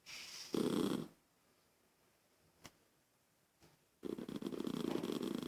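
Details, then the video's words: Toy poodle annoyed by a child's noise, giving a short rough growl, a quiet pause with faint clicks, then a sustained grumbling, rasping growl. "Poodle irritado com a criança fazendo. Barulho"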